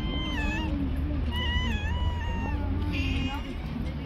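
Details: Stray cats living on the street: several clear drawn-out meows with rising then level pitch follow one another over four seconds, set against background music and a steady low hum.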